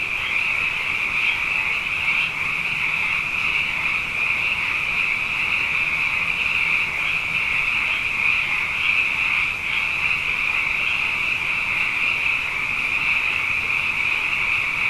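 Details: Night chorus of many frogs, plentiful after two consecutive wet years: a steady, high-pitched trilling mass of overlapping callers, with faint pulses swelling briefly within the constant shimmering sound bath and a low hum in the background.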